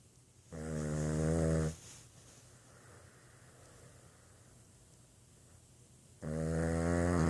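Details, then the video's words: Boston Terrier asleep and snoring, giving two strong rasping snores about five seconds apart with quiet breathing in between over a low background hum. "Boston terrier que ronfle"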